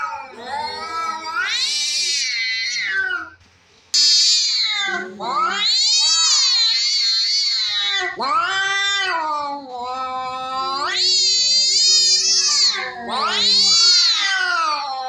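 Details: Fighting cats yowling in a series of shrill, strained caterwauls, each swelling upward then sliding down, separated by short gaps, with a brief quiet pause early on.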